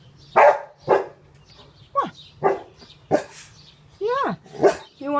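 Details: Shetland Sheepdog drying himself off after a bath, giving a series of sharp barks and yelps, some with falling pitch, roughly two per second, while a man speaks to him.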